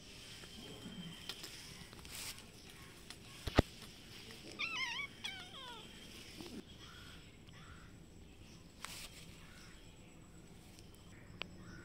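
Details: Cats ready to fight, a brown cat and a white kitten on green grass behind a house; a short burst of wavering, quavering yowls rising and falling in pitch, with faint outdoor background noise and a few clicks.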